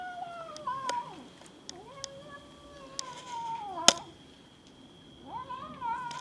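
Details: Domestic cats fighting each other over food, giving repeated falling meows that overlap, some bending upward then dropping, with sharp thumps and a loud crack midway as the scuffle goes on.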